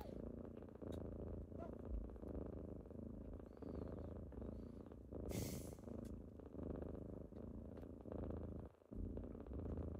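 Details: Kittens waking someone on a typical morning: a deep, steady rumbling purr that swells and fades with each breath about every 1.5 seconds, with a brief hissing rustle midway and a short dip near the end.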